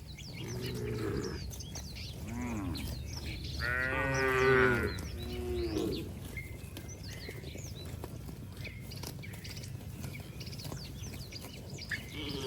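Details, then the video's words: Cattle running in mud outdoors: a faint moo early, then a clear rising-and-falling moo around four seconds and a brief lower one after, followed by a long stretch of chirping birds and background noise. "Suara sapi Moo"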